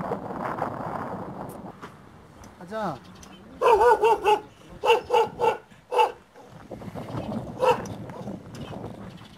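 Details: Aboriginal Tibetan Mastiff, the Do Khyi of Tibet, a guard dog, gives a run of deep barks in two bursts mid-clip and one more near the end, with human voices talking before and after.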